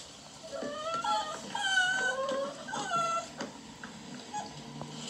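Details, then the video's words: Beagle puppies outside wanting attention, others play fighting in a dog house: high, thin whimpers and whines rising and falling in short bursts, several overlapping, with soft rustling underneath. "Beagle puppies out side wanting attention and other ones play fighting in dog house"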